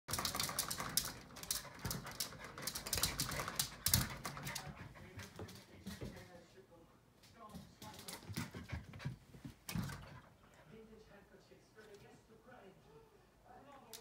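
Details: Keeshond puppy barking at its own reflection in a mirror indoors; a burst of sharp, broadband barks in the first seconds, then scattered yips and panting fading to quiet, with a person speaking softly.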